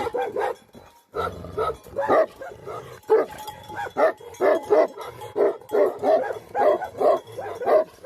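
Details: Livestock guardian dog of the Tibetan Mastiff breed (Bhote Kukur), Nepal. After a short quiet break, harsh barks come in a fast, steady string, about two each second.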